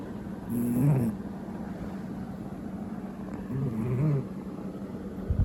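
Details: Domestic cat snoring loudly like an old man; two deep, rasping, low-pitched snores about three seconds apart, each lasting under a second, with steady quiet hiss between.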